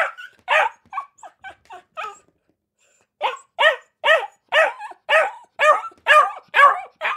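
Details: High-pitched barking from Akita puppies: a run of softer short yips, a brief gap, then louder rhythmic barks roughly two per second.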